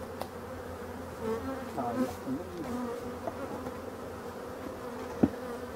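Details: European dark bees in an abandoned hive under restoration give a steady, low droning hum with a faint higher overtone, broken by brief flying buzzes and a single sharp knock near the end.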